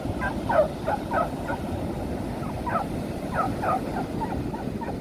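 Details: Female beagle playing and chasing other dogs on a beach, some running through the sea: a few short, high yaps in small bursts, spaced irregularly over steady broadband surf and wind noise.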